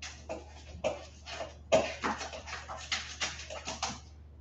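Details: West Highland White Terrier puppies, 47 days old, giving a quick run of short squeaky yaps and yelps, roughly a dozen sharp bursts within four seconds, with soft scuffling between them.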